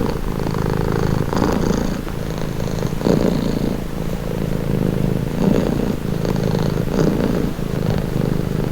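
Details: Relaxed cat purring continuously, a low vibrating rumble that alternates between breathing in and out every one to two seconds, intimate and steady throughout.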